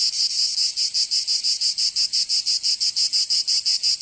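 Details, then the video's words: Summer cicada chorus from Provence in the south of France, a loud high rasping drone broken into steady, even pulses about three per second, nothing else audible. "Canto Cigarra 🦗 [ Escuchar les cigarras en verano 10 H]"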